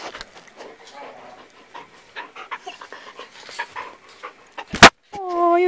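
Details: Large young dog panting indoors, a run of quick soft breathy puffs for several seconds, followed by a sharp knock and a person's high-pitched speech.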